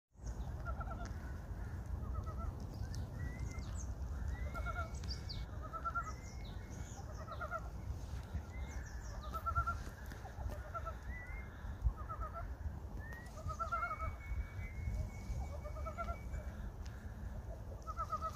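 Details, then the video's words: Frogs calling at Gyeongchip, the early-spring solar term when frogs are said to wake: many short pulsed croaks overlap steadily throughout, with thin rising whistles above and a constant low rumble of background noise. "驚蟄(경칩)에 개구리 소리"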